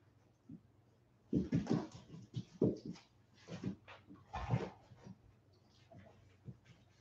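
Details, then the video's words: West Highland White Terrier puppies, 47 days old, back from an outdoor break; soft thumps and short rough bursts of puppy noise bunch around the middle, between quiet stretches. "Westie Puppies Livestream - 47 day old puppies"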